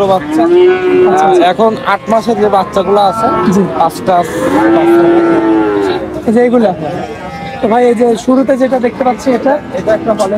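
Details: At Oronkola animal market after Eid, bull calves give deep, steady moos, one early and another near the middle, each held about a second, with lesser lowing and people talking throughout.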